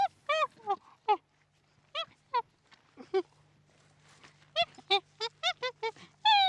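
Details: Chimpanzee calls: short, wavering hoots in bursts, a few isolated cries then a rapid rising series of sharp, tonal yelps toward the end, with a faint steady low hum underneath.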